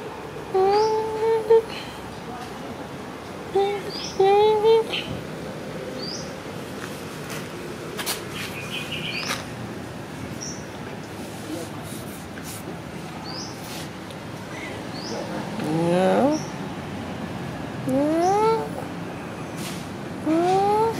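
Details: Cat Sona, friendly and happy after food, meowing repeatedly: short upward-sweeping meows in pairs early on, then a run of rising, questioning meows after a quiet stretch; faint high chirps behind.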